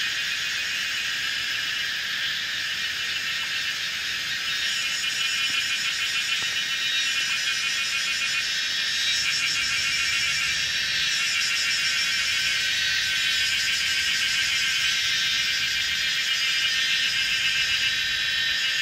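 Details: On a mountainside corner of old Route 106 in Pinghe Village, Taiwu Township, Pingtung County, Taiwan, Kaempfer's cicadas sing together at 17:30 on 19 May 2016; a continuous shrill, throbbing drone swells slightly in places. Recorded with a Canon PowerShot SX700 HS.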